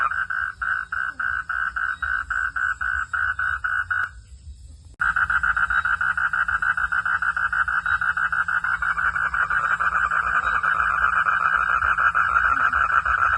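Frogs calling at night in fast, steady pulses that merge into a continuous rattling trill.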